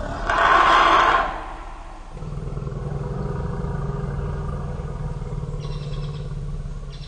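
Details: Startled by a sitatunga bursting from the bushes, huddled African elephants, the mothers Pia and Noor with their 2-year-old offspring, give a loud, shrill scream lasting about a second, followed by a steady, deep droning rumble with a faint higher call near the end.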